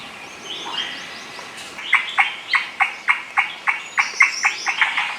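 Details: Indian giant squirrel (Malabar giant squirrel, shekru, Maharashtra's state animal) gives a loud chatter of harsh, clipped notes, about three a second, heard suddenly from tall trees in dense Maharashtra forest.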